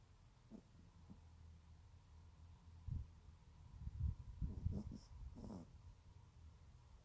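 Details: Soft, sputtering snores from a sleeping teacup Yorkshire Terrier, low rasping breaths building into a cluster of snorty puffs toward the end, then fading.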